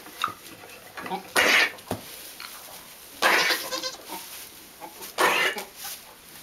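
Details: Domestic goat during a doe's birth on April 19, 2010, with the newborn's sister also heard; three loud, broad, harsh bleats about two seconds apart, each lasting under half a second, over steady background hiss.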